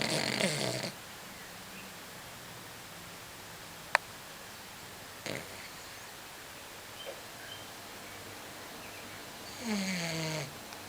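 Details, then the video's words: A female Blenheim Cavalier King Charles Spaniel, born 1997, snores with raspy, rattling breaths separated by long quiet pauses. "My Beloved Dog Snoring (Cavalier King Charles Spaniel)"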